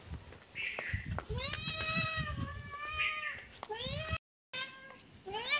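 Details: Domestic cat with a kitten, playing together in a yard; a string of drawn-out, harmonic meows, some level and some rising at the end, about five calls over a low rumbling background.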